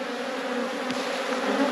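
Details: Honey bees in an apiary humming steadily as a beekeeper inspects a hive frame that is almost full of capped honey; a dense, even drone with a low fundamental and bright overtones holds throughout the short stretch.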